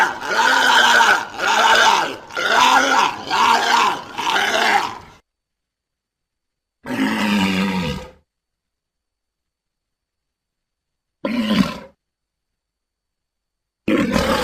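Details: Walrus grunting in a steady run of five throaty, pulsed roars about one per second, followed after gaps by a descending groan and two short clipped calls.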